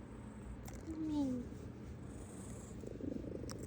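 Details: A 19-year-old house cat purring on 14 November 2025: a steady low rumble throughout, with a brief falling tonal voice near the middle and faint room noise.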